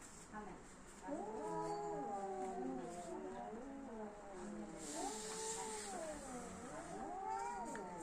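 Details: Domestic cats fighting produce a continuous, drawn-out caterwaul. The tone swoops up and down in long nasal wails, with a brief hiss-like burst near the middle and faint human talk in the background.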